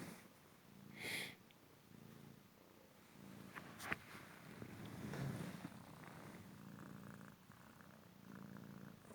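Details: Purring of a young male Cymric cat indoors, a rescued street cat recovered from a leg fracture and hip dislocation, during a fetch game with paper: steady low rumbling pulses with a few sharp clicks and rustles.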